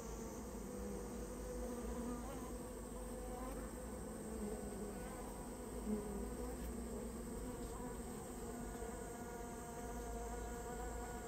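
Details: Japanese honey bee colony that built its nest in someone's storehouse, heard during its removal: a thick continuous droning buzz from a mass of bees, even in loudness, with a faint tap near the middle.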